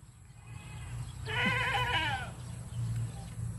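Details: Goat bleating in reply as its owners call their cat: a single wavering, nasal bleat of about one second with a rising start, over a steady low hum.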